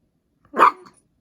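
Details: Chihuahua being vocal indoors after refusing more food, barking and growling: a single short, sharp bark with a brief rough tail, in an otherwise quiet room.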